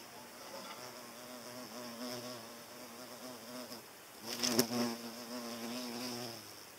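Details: A hornet chasing away butterflies; its deep, droning wing buzz wavers in pitch and swells loudly as it passes close.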